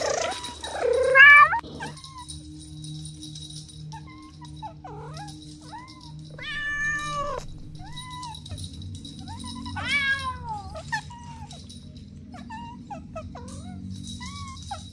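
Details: Kittens at play with their mother cat give a string of soft, arched meows, one loud, sharp cry at the start, then gentler rising-and-falling mews every second or two over steady low background hum.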